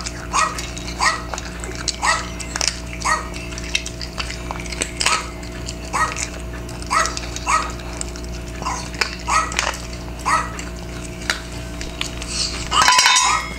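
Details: A 10-year-old Maltese, reluctant to eat its low-protein kidney prescription food because of small kidney stones, gives sharp, high-pitched barks in quick bursts over a steady hum while being coaxed to eat with a dog-barking video; Maltese.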